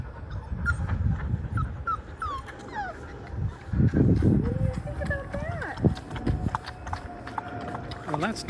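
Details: Five-week-old Labrador Retriever puppies, from a litter of six, trying out the water in the baby pool where they were born. Thin, high whimpers sweep up and down again and again over a woman's coaxing speech.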